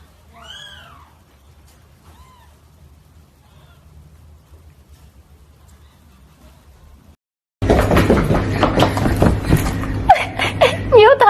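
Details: Domestic cat, said to be fierce and seeking a mate, gives one clear rising-falling meow and a faint second one, then a loud burst of rough, noisy sound with short wavering cries near the end.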